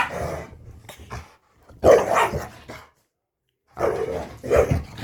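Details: Chihuahua and pit bull living together for about two weeks after the small dog was found; the pair have become friends. Gruff barks and growling noises come in three loud bursts with short silent gaps between them.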